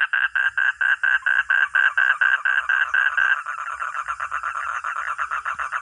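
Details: Frog or toad croaking in regular loud pulses, roughly four a second, then shifting to a lower, quicker and softer series after three seconds.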